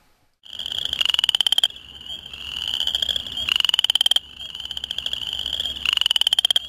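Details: Western chorus frogs in a rain-flooded farm field early in the cold breeding season give rising, pulsed trills like a thumb run along a comb, about every two seconds, and spring peepers may be calling in the background.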